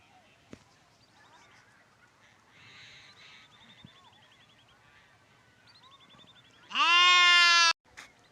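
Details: Sheep giving one loud, strongly harmonic bleat lasting about a second, rising slightly at the start and then held steady. It comes near the end after a quiet stretch of faint, repeated bird chirps and soft rustling.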